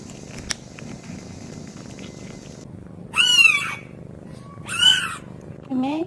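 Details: A talkative kitten gives two strong, wavering meows a second and a half apart, then a shorter third call, against a low background hum.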